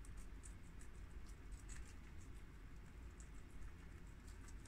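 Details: Four pet guinea pigs, two males and two females of American, long-haired Mini Yak and Abyssinian breeds, eat freshly washed garden romaine lettuce; quick crisp crunching clicks repeat steadily over a constant low rumble.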